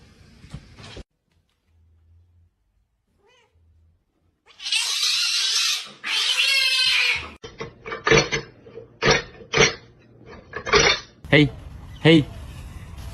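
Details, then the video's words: Domestic cat in a funny compilation: after a quiet start, two loud rough hissing bursts, then a run of short, bright, harmonic meow-like calls repeated roughly every second, with faint room noise between them. "Very Funny Cat Sounds & Behaviors"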